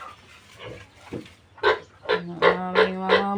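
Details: Piglets just separated from their sow give a few short, harsh squeals spaced about a third of a second apart, after a quiet start with faint background noise.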